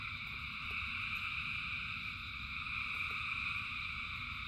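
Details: Rain-soaked frogs, thousands strong, keep up an even high-pitched chorus of overlapping trills throughout, while rainfall adds a soft low rumble and a couple of faint ticks.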